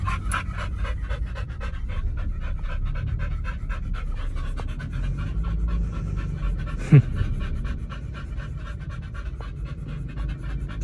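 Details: Two dogs at a dog hotel eating a raw meal of chicken and pork on a raw-feeding diet; fast, steady, rhythmic panting or chewing, about three beats a second, with one sharp knock partway through.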